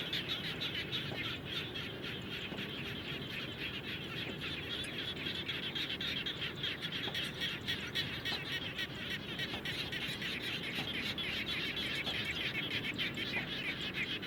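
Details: Frogs calling around a home after rain, a dense, steady chorus of fast pulsing trills blending into a continuous hum, with a low rumbling background throughout.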